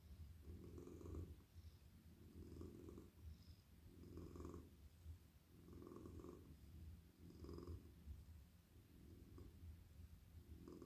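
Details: Friendly male house cat melting in a lap as he is stroked, purring steadily: a deep continuous rumble rising and falling with each breath, roughly every one and a half seconds, soft and even throughout.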